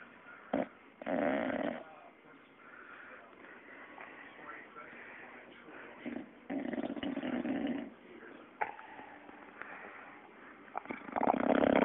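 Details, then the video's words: Quincy, a fat bulldog, snoring while asleep: rough, rasping snore bursts come every few seconds, broad and breathy, separated by quieter wheezy breaths, with one louder snort-like burst near the end. "Snoring bulldog"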